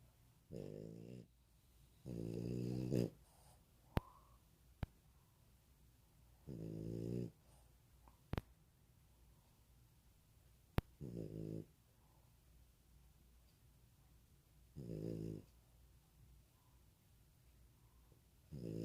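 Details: A sleeping pet dog snores indoors, with low, buzzy rasping breaths in bursts every few seconds and a few sharp clicks between them.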